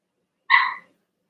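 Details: A single short, bright yelp from one of three overnight Cavalier King Charles Spaniel puppies, Ruby and Blenheim coated, born 06/09/2022, rising sharply then fading over a third of a second in silence.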